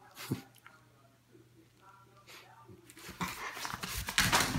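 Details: Miniature schnauzer. A miniature schnauzer whimpers softly with high, quavering whines, breaking off between short sniffs and breaths. Near the end the sounds grow louder and harsher, a quick scramble of yips, snorts and rough bursts.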